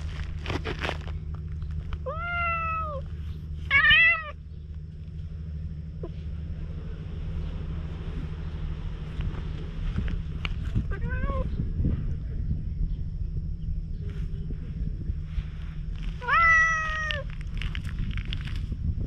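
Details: Cautious stray cat on a seaside-bound road being tried with a cat brush, recorded on GoPro HERO8: four separate arched meows spread across the recording, some short and some drawn out, against a low droning hum and faint rustling.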